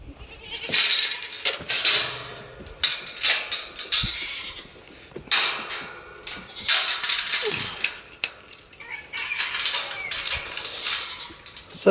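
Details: Several goats screaming loudly together after a young bottle-raised doe, abandoned by her mother and not disbudded, gets her head stuck in a fence to seek attention; harsh, broadband repeated bleats overlapping in bursts, with some background music.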